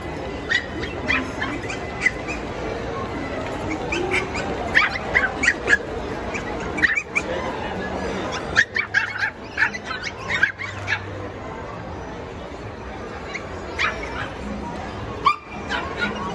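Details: Several small Pomeranian dogs, puppies, jumping about and playing. Short, sharp high yips and barks come in scattered bursts over a steady low background hum, with brief pauses between flurries.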